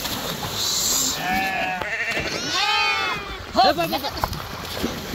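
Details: Sheep swimming across the Krishna river give several wavering, harmonic bleats, some rising and falling in arcs, over steady broadband water and outdoor noise, with a sharper, louder cry near the end.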